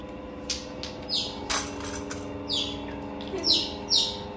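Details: Baby otters at an otter cafe in Ikebukuro, Tokyo, Japan, being played with by visitors. Sharp, high, downward-sliding chirps come in quick bursts every half second or so over a steady indoor hum.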